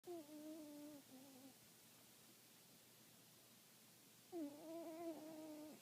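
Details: Snoring from an 18-year-old cat: tonal, whistling breaths with a clear buzzy harmonic ring, one drawn-out note split into two parts, then a pause of about three seconds before the next steady, slightly falling note.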